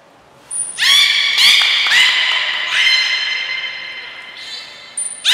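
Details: Training session with belugas Gray and Mirai at Port of Nagoya Public Aquarium on 22 August 2022: a high thin whistle starts off several overlapping buzzy harmonic calls that swoop upward at onset, then hold. Another high whistle sounds at the end.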